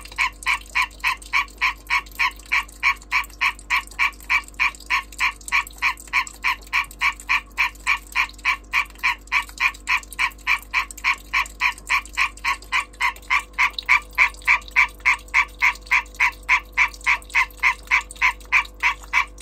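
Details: Calling European green tree frog during breeding, a persistent chain of harsh, metallic croaks delivered at a steady, quick pace of roughly three per second, uninterrupted and dominant, nothing else clearly heard.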